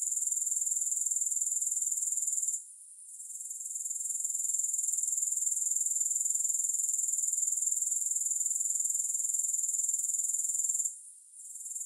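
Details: A continuous high, hissing insect chorus from grasshoppers, pulsed roughly four times a second, with two short dips where the sound fades briefly and then returns. No music.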